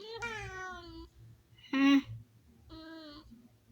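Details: Sky, a house cat talking to himself in a small room, gives three meows: a long sliding mew, a short loud clipped one, then a steady mid-pitched meow, with soft low thumping underneath.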